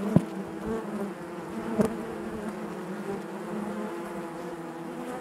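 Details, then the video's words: Honey bee hive interior: a constant buzzing hum from many bees, broken by two brief louder buzzes at the start and near the second mark. "bees therapy hive natural buzzing sound"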